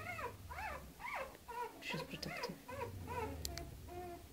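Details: Canaan dog mother with her pups indoors, giving high, arching whimpers that rise and fall, repeated about every half second, with a girl hushing in the background.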